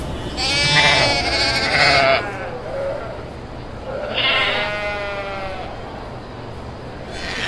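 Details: Kacang goat bleats: one loud, wavering burst of overlapping bleats, a quieter gap, then a second shorter bleat, over steady low background noise.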